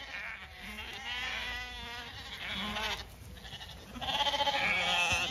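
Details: Ewes on a regenerative farm in County Kilkenny, Ireland, bleating as they wait to be fed; several overlapping wavering, harmonic bleats come in bursts, with a steady high whine behind them and louder calls near the end.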